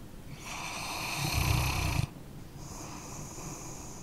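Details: A sleeping dog snores once, a swelling two-second rasp that builds to a loud buzzy vibrating peak and stops abruptly, followed by a thin, faintly whistling inhale.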